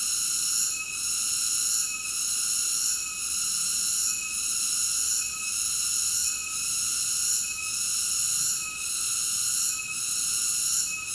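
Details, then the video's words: Continuous cicada buzzing, high and hissing, with steady rhythmic dips roughly every second and no other sounds. "Cicada ASMR Sleep Nature Sounds"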